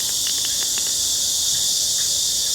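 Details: Cicadas on a hot summer day, heard on a daily walk, sing in a dense, steady, high-pitched hiss that never lets up.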